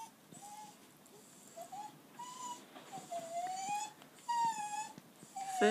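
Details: Daisy's four-week-old puppies, now trying liquidised food, give thin whistled whimpers that rise and fall, several short whines spaced irregularly, with a longer wavering one near the end and soft background rustling.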